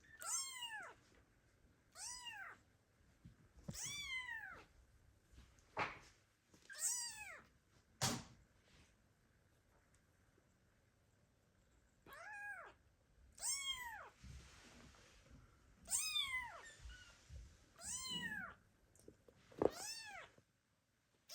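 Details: Loud, insistent meows from kittens calling their absent mother cat, arriving in bursts of arched, falling cries with short gaps and a pause of several seconds midway.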